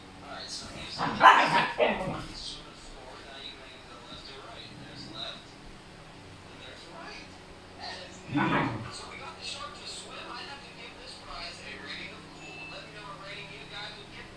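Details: Noisy male Siberian Husky reacting to a female in heat: a loud, strained bark-howl burst early on, a second shorter outburst several seconds later, and people chatting quietly between the calls.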